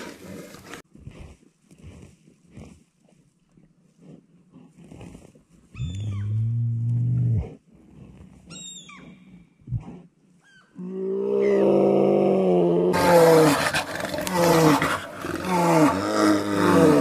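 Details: Bears in a fierce fight, including big brown bears battling over territory: quiet snuffling at first, then a deep moaning roar, followed by long, loud, harmonic roars and bellows that grow harsher and more continuous toward the end.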